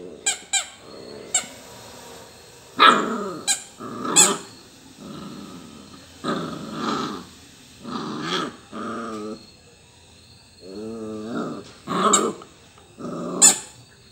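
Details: Labrador Retriever puppy at play with toys, growling in repeated low rumbling bursts with harmonic bands, broken by sharp high squeaks and a few yelping barks, apparently in a small indoor room.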